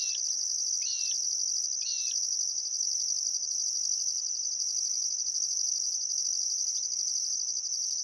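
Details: Sunset cricket chorus at Welford National Park on the Barcoo River, Outback Queensland, in summer: a constant shrill trill and a higher pulsing buzz. Three quick zigzag bird notes come in the first two seconds, then only insects.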